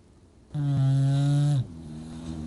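An English bulldog gives one long, deep, rumbling snore lasting about a second.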